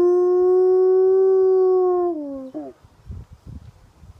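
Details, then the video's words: Toby, an Alaskan Malamute in foster care, singing out one long, level howl that holds steady for two seconds, then drops in pitch and breaks off, followed by soft low shuffling noises. "Toby Howling, 5/24/15"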